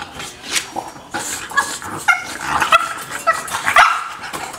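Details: Lola, a dog heartbroken by barriers keeping her from another dog she is courting, gives short, high, tonal whines and yips in uneven bursts, rising and falling, over a noisy background.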